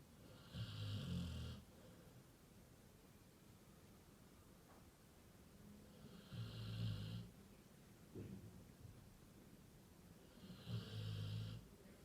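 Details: Labrador Retriever snoring very loudly: three deep, rumbling snores with a raspy upper edge, spaced about four to five seconds apart, with quiet breathing between them.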